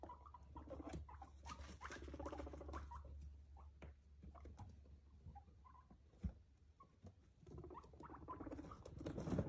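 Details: A pet guinea pig named Nick gives clusters of short, stacked chirping and purring notes that come in bursts and pauses, alongside scuffling, a single sharp knock and a constant low background hum.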